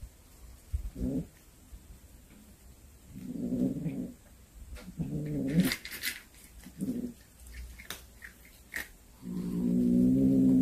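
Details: A cat that brought home a hunted snake utters five low, harmonic growling yowls indoors. The first four are short and spaced a second or two apart, and the last is a longer, louder sustained wail. Faint clicks and knocks sound between them.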